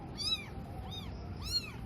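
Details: Newborn kitten, one of four abandoned on a cloth at a cemetery in Indonesia around dusk, eyes still closed; several thin, high arched meows with rich harmonics, one about every half second, over low background hum.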